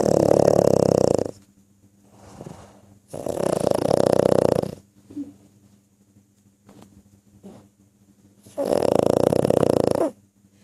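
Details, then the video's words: A pug snoring loudly in three long rattling bursts of about one and a half seconds each, spaced several seconds apart, with quiet breathing and faint indoor hum between them. "pug snoring"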